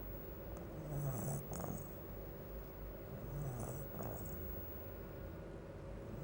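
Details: A sleeping bulldog snoring: low, rumbling breaths in slow cycles, each inhale a rough rattling drone with faint wheezy hiss on top, separated by quieter pauses, against a soft steady hum.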